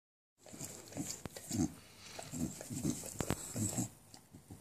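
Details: Enzo, an always-hungry English bulldog, licking a wall for anything edible; low, snuffly grunting snorts come in quick bursts roughly every half second, mixed with wet licking noises, in an indoor setting without other voices.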